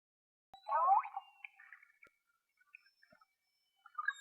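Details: A single killer whale gives a brief, wavering underwater whistle that bends up and down in pitch, recorded on 26 January 2021 in False Bay, South Africa, with a hydrophone from a small boat.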